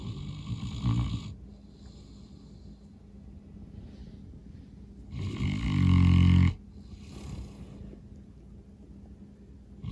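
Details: Norman the St. Bernard sleeping off a long day of playing outside: a short snort, a long stretch of soft breathing, then a loud, throaty, vibrating snore over a second long, followed by a breathy exhale.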